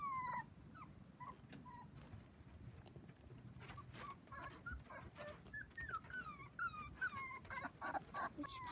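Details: Litter of seven Dachshund puppies, four weeks old, at play with kids on a trampoline; thin, high-pitched whines and yelps in irregular rapid clusters, growing busier toward the end, with rustling underneath.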